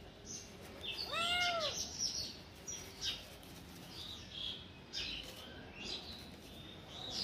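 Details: A playful kitten climbing a tree gives a single loud, arching meow early on, sliding up then down. Scattered high, thin bird chirps follow over a quiet outdoor background.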